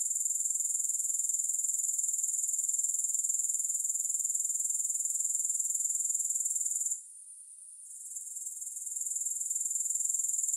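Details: Grasshoppers calling with no music: a steady, shrill, very high trill pulsing about four times a second, with a brief drop in level near the end before the same even buzzing resumes.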